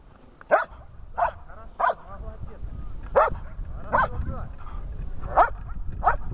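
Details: Dog barking during protection training with searches: sharp, short barks repeated roughly every second, seven in a row, over low background rumble and faint speech.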